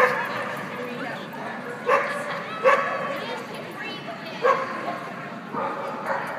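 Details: Canaan Dog at a club agility trial in November; four short barks spread over six seconds, roughly one every second or so, with crowd chatter and hall noise underneath.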